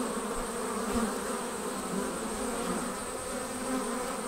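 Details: Honey bees departing their hive as a swarm: a dense, steady hum with a fundamental near 250 and harmonics stacked above, unbroken and even in loudness throughout.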